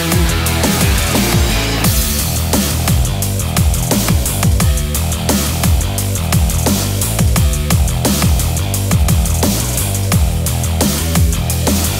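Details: Loud electronic music with heavy bass and a driving drum beat plays throughout, and no animal sound is heard.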